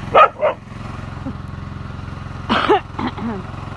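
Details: Yakutian Laika in November 2020: two short, sharp barks in quick succession, then after a pause a rougher bark and a brief higher yelp, all over a steady low hum.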